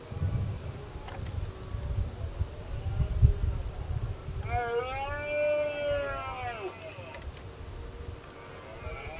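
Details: Red deer during the 2016 rut, where a dominant stag faced a lone challenging male: a single drawn-out roar rises then falls in a clear harmonic arch midway through, with low rumbling wind noise throughout.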